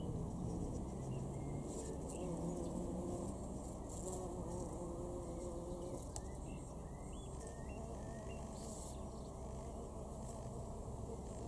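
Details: Bumblebees among rhododendron flowers in June 2021 at Weener, East Frisia, northwest Germany, humming in low droning buzzes that come and go, under a steady background hiss and rustle.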